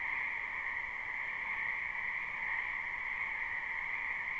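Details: Continuous frog chorus from a wetland in spring, live and without looping: a dense, high buzzing trill held at an even level, with no distinct individual calls or other noises.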